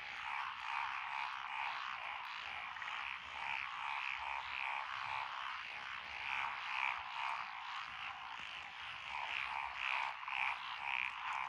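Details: A mixed frog chorus in lotus rice fields on a rural lane, Echizen, Fukui, Japan, 12 June 2021, from Japanese tree frogs, Tonosama frogs, wrinkled frogs and green tree frogs. Continuous croaking, with clusters of sharper clicking notes repeating every second or two.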